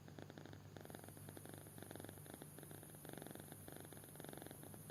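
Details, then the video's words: A kitten sound asleep snores in clear repeated raspy pulses, about two per second, over a steady low rumble, with a thin high hiss in the background. "Anak Kucing Tidur Pulas Sampai Ngorok"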